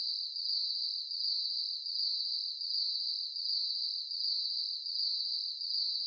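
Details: At night, a cricket gives a steady, high, ringing trill that swells and fades in regular pulses.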